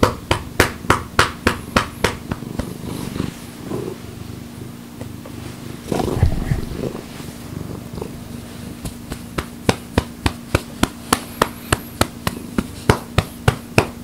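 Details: Domestic cat purring while being patted on the rump, a steady low rumbling purr under sharp rhythmic patting thumps repeated several times a second, with a soft voice midway.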